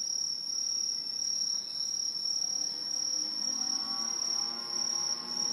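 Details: Aobamatsumushi tree cricket, an introduced species in Japan living high in tall trees, in a loud autumn chorus: a continuous, very high, steady shrill trill without breaks, with faint lower background noise.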